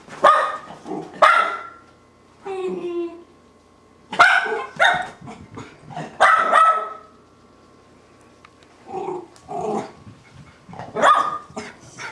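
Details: Two Miniature Schnauzers at home, going crazy with joy as an owner returns: sharp high barks and yelps in bursts, a brief whine, pauses between outbursts.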